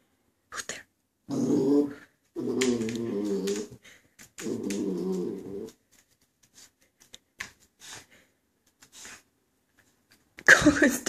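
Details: Coconut, a female Border Collie puppy aged two months and one week, growls indoors at her own reflection in a mirror: three low, rumbling growls of about a second each, followed by scattered clicks, light taps and a brief louder noise at the end.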